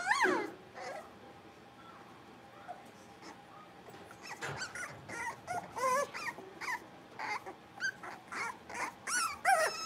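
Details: Blenheim Cavalier King Charles Spaniel puppies from a litter of five, born at New Year's, playing in their puppy pen; scattered high, bending yips and whimpers, sparse at first and then coming in quick bursts toward the end.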